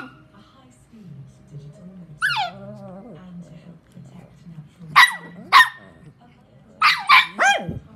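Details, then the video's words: Shih Tzu brothers quarrelling over a bully stick. A low continuous growl runs through the first half with one rising yelp. Later come two loud barks, then a quick double bark and one more, with faint music behind. "Jealous Shih Tzu Brothers Have A Big Fight Over Bully Stick"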